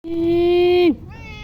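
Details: A male Persian cat gives a long, level, tonal meow held for almost a second, then its pitch drops sharply at the end, followed by a softer, brief rising note.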